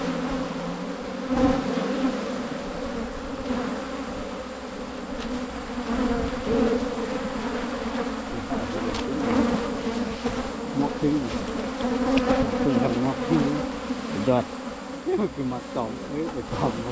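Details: Asian honey bees in the wild, filmed on a Thai honey hunt in 2022, make a continuous humming drone that rises and falls gently in loudness, with brief scattered crackles and a hint of distant voices.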